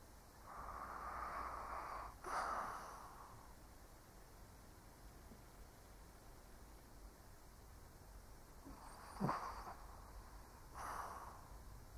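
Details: An old Shih Tzu asleep, snoring with soft, breathy, airy breaths near the start and around ten to eleven seconds, plus a sharper snort-like catch at about nine seconds, over a quiet steady hiss.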